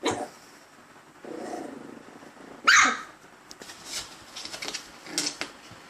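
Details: Male dog barking at himself, giving one loud, sharp bark midway, surrounded by softer huffs, grumbles and small rustling noises.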